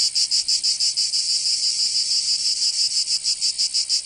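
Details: Cicadas singing in summer in Provence, southern France: a loud, dense, high buzzing chorus pulsing about five times per second, with no other sounds.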